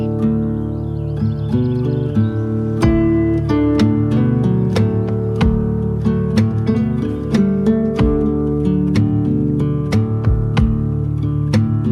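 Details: Gentle strummed acoustic guitar music plays throughout, with no animal sounds.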